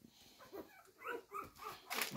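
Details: Hungry blue roan cocker spaniel puppies, just one week old, give short whines that rise and fall as they beg to be fed.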